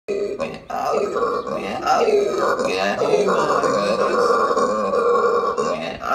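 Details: Howler monkey in Aruba giving a loud, deep, guttural roar, sustained and rough with swelling harmonic tones and brief breaks, continuing throughout.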